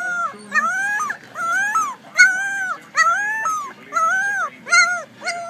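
Young puppies howl in short, high, wavering notes, each rising then sliding down, repeated in quick succession.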